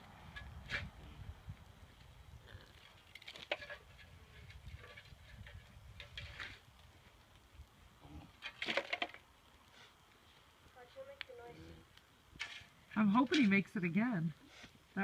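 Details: An alpaca that has been sparring and spitting at a horse all day lets out a strained, wavering, harsh call near the end that rises and falls quickly. Earlier there are knocks, rustles, human voices and a low rumble of wind or handling noise.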